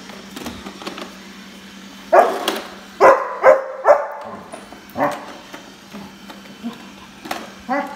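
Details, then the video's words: German Shepherd puppy named Gunner barking at a Roborock robot vacuum cleaner indoors; a run of short, sharp, harmonic barks and yips in irregular bursts, several spaced about half a second apart, with a brief spoken command just before. "German Shepherd puppy vs Roborock vacuum cleaner!"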